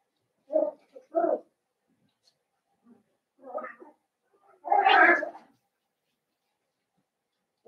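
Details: A litter of five blenheim Cavalier King Charles Spaniel puppies, born at New Year, in their home puppy pen: a run of uneven whining cries, two short ones, a softer pair, then a longer louder wavering squeal.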